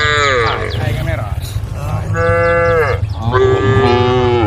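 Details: A herd of cows on the road calling the herd: three drawn-out, deep harmonic moos, each bending downward at its end, with short gaps between. A steady low rumble continues underneath.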